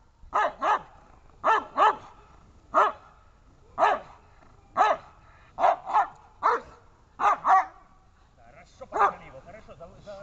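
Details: Dobermann barking during protection training, about a dozen full, harmonic barks repeated roughly once a second, some in quick pairs, in a steady run.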